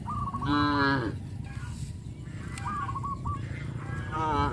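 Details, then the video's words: Cattle herded through rice fields after the harvest on a traditional village farm: a short, rich, slightly falling moo near the start and another beginning at the end, with quick honking calls of other fowl in between over steady outdoor noise. "sound of cows"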